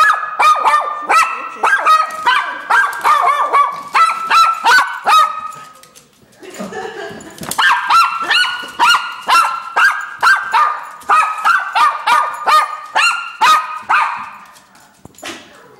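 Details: Small dog barking rapidly and persistently, sharp high yaps repeated about twice per second in long bursts with a brief pause near the middle.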